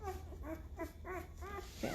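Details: Five-day-old Great Bernese puppies, a litter from Great Pyrenees mother Lacey and Bernese Mountain Dog father Castle, each nearly two pounds, give thin squeaky whines in rising and falling arcs, about five in quick succession, over a low steady hum.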